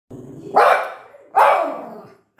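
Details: A male pinscher gives two sharp, mid-pitched barks about a second apart after hearing a small noise, which the owner jokes might be a cat.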